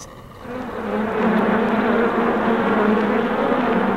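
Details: Honey bees recorded on July 8, 2016: a dense, steady hum of many wings, with low droning bands that swell in after the first half second and hold level throughout.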